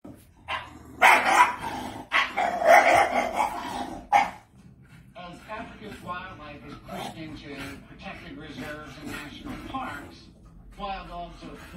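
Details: Pet pup jumping and barking with excitement while watching African wild dogs on TV, indoors; loud sharp barks in the first four seconds, then a TV narrator speaks over quieter sounds.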